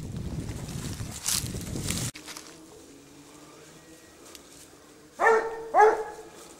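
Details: Basset Hound from the French kennel Rallye de l'Allagnon on a scent trail; after rumbling background noise and a quiet spell, two short, loud barks ring out about half a second apart.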